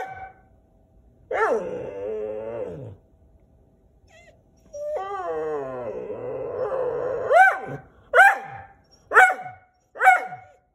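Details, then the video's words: Whippet named Dexter protesting at the camera, with Wallace joining in: drawn-out harmonic whines sliding downward, a long wavering howl, then four short rising yelps about one second apart, quiet room between. "Whippet protesting camera"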